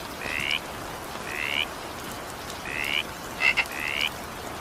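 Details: Frog voice in evening rain: four brief rising croaks at irregular spacing, the last preceded by two sharp clicks, with gentle rainfall hissing throughout.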